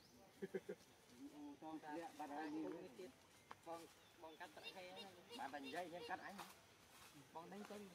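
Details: Frightened baby monkey Jovi cries out as it tries to follow its mother from a tree. Short, wobbling, harmonic squeals come in rapid clusters of several per second, some sliding up and down in pitch.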